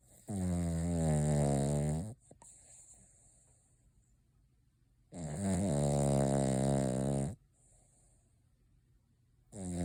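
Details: Noah, a Cavalier King Charles Spaniel, snoring on Christmas while asleep with eyes open and darting, nose and mouth twitching as if dreaming. Deep droning snores, each about two seconds long, recur roughly every five seconds with quiet indoor pauses between.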